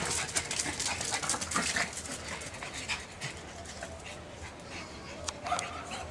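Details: Rapid, hissing pants from a pug, about two breaths per second, uneven in rhythm, with faint voices and handling noise mixed in.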